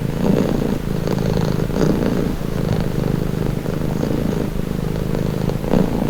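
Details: Cat purring steadily in a calming recording: a low, rumbling, continuous purr that swells and eases with each breath, roughly once a second, with no other sounds.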